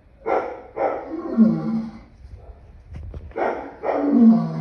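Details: Lion sounding two pairs of deep, hoarse moans that slide downward at the end, with a brief quiet gap between the pairs.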